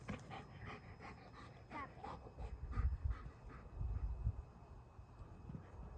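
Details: In Boise, Rip, a trained two-year-old German Shepherd, pants hard and fast while playing fetch with a two-year-old child, the huffing breaths coming about four per second over dull thumps and rustles.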